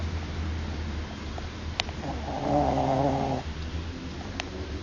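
A Shih Tzu snores, a single rough, droning breath rising over a steady low hum.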